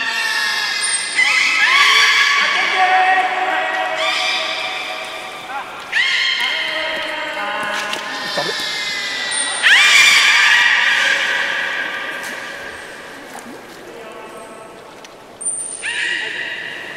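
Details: Port of Nagoya Public Aquarium belugas, 11 August 2018, while staff tried to swap Nana and Hodoi between pools; loud repeated bursts of harmonic whistles and squeals, each starting abruptly and sliding down, with brief high pings between.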